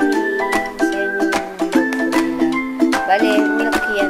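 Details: Bright plucked music with ukulele-like notes and mallet tones plays in short, repeated phrases, with a hint of speech underneath.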